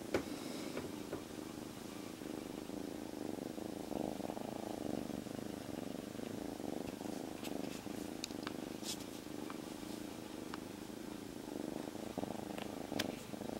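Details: A rescued kitten, a stray until three days ago, rests quietly inside its owner's jacket and purrs steadily. Its soft, rhythmic rumble runs throughout, with occasional faint clicks and rustles above it and a low background hum.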